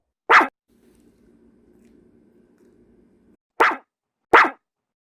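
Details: Pet dog named Dodo, angry after performing all its tricks and still not getting a treat: three short, sharp barks, one near the start and two close together near the end, with a faint low growl-like murmur between them.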